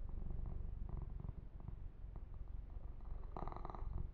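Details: Yumak, a male kitten, purring while being massaged and groomed indoors: a steady low rumbling purr throughout, with soft broadband rubbing and handling noises and a brief brighter scratch of fur grooming near the end.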